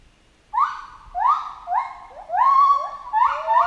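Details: A chimpanzee call series: after half a second of silence, loud upswept hoots follow one another rapidly, each climbing and then holding. The calls grow denser and overlap toward the end.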